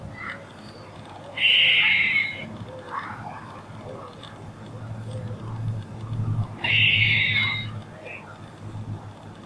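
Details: Two harsh, buzzy squirrel calls, each about a second long and several seconds apart. Faint low rumbling sounds occur between them.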